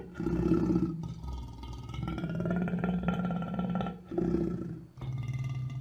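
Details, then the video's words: Lion producing a sustained deep, throaty growl with a strong droning tone, broken by a couple of brief pauses and rising again into rough rumbling roars. "Gerçek Aslan Sesleri Yüksek Kalite | Lion Sounds in High Quality"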